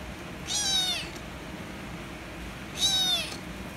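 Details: Kitten that wanted to play with a calico cat turns angry as the cats fight; two loud, high, drawn-out meows about two seconds apart over a steady low room hum.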